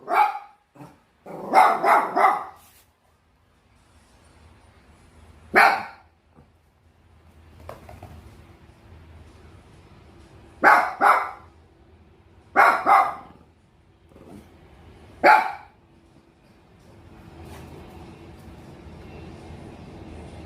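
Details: Bichon Frise dog barking irregularly, mostly single or doubled sharp barks spaced a few seconds apart, over a faint steady background hum.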